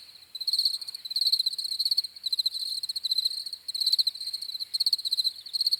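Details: High, pulsed cricket chirps come in short rapid bursts roughly every half second, several insects overlapping into a shimmering trill with brief dips between groups.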